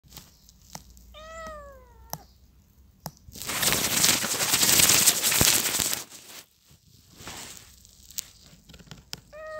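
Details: Cat giving two clear descending meows, one early and one cut off at the end, with a loud rustling, hissing noise burst filling the middle and scattered sharp clicks.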